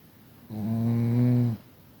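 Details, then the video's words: Snoring Chihuahua Kira from Tver, a graduate of the Kastropulo kennel in Crimea: one steady, buzzy, low snore lasting about a second, rising gently in pitch toward its end, set against quiet room hiss. "Храпушка Кира из Твери привет выпускник питомника чихуахуа Кастропуло Крым"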